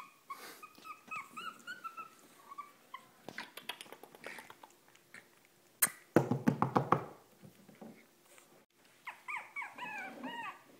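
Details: Very small Shih Tzu dog in Marietta, Georgia, whining in high, wavering whimpers that rise and fall, with a burst of rapid clattering and scratching noises midway, then more thin whines at the end.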